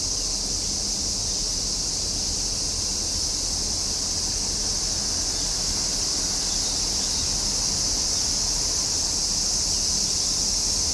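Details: Summertime cicadas produce a loud, level, hissing whine that runs unbroken for the full length, bright and piercing, with only a faint low hum underneath.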